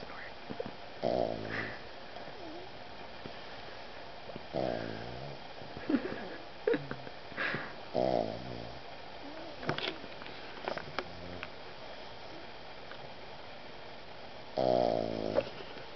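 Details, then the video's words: Roswell, a pet Boston Terrier, snoring while cuddled up asleep on a puffy vest; rough, rattling snorts come in bursts every couple of seconds over a steady background hum. "Boston Terrier snoring"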